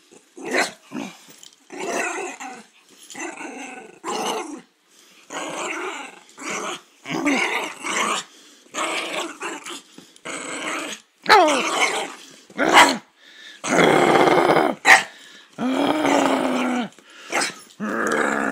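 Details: Poodle play-fighting under a blanket, giving a rapid string of gruff growls and occasional short bark-like snaps, the bursts growing louder and longer toward the end.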